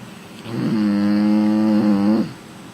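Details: Female American Bully asleep on the lounge, giving one long, steady, droning snore lasting about a second and a half, even in pitch, indoors in a quiet room.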